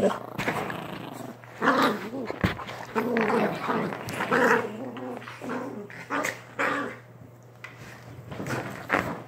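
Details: Chihuahua growling continuously indoors, a rough, wavering rumble that rises and falls in bursts over nine seconds, with a constant low hum in the room.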